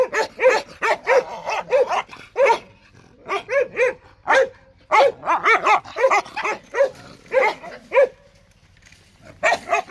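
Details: Jindo barking repeatedly, roughly ninety-odd barks a minute at an uneven pace, each bark short and sharp, with a brief pause near the end.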